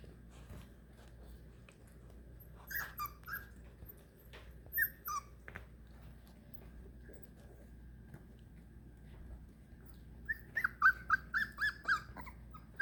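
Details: Four-week-old Beagle puppies separated from their mother for the first time, indoors: a mostly quiet room with light scuffling, two brief high whines early on, then about six short, clipped whimpers in rapid series near the end.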